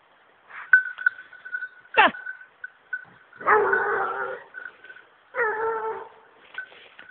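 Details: Young female hunting dog on wild boar: two drawn-out, hoarse baying barks each lasting about a second, preceded by a short yelp and a sharp downward sweep, with a thin steady high tone behind.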